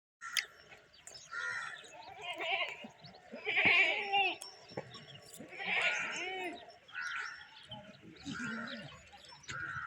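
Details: Big goats in a village bleat in a series of quavering, nasal calls, with some human voices nearby.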